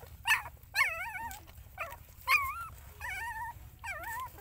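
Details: Soft, tremulous whining where a mother dog tends her puppies: about six short, wobbling whimpers come irregularly, roughly one every second, each dipping and lifting in pitch, against a faint low hum.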